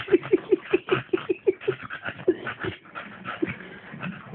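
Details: Staffordshire Bull Terrier giving a rapid run of short, high, whimpering yips, about five per second for two and a half seconds, then fading into sparser yelps over steady background noise and muffled voices.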